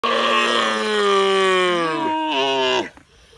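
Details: Camel; contact call; calves calling to their mother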